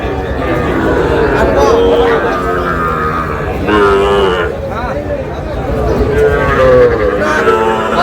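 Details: Sahiwal breed bull calf bought by a farmer in Noakhali, Bangladesh, on 18 June; a few drawn-out, low, tonal moos stand out over steady men's talk and busy outdoor crowd noise.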